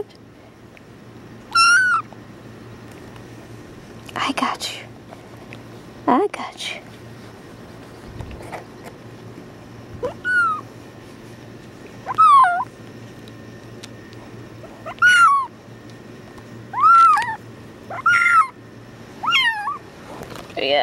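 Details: Held tuxedo kitten Badger calls out in a long run of short, high meows, some rising then dropping, mixed with soft human voices and rustling handling noises in a small room.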